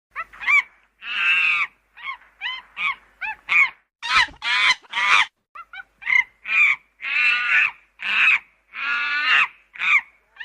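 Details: Monkeys at a UK safari park give harsh, squawking, laugh-like calls in rapid bursts, some drawn out and nasal, others clipped and repeated.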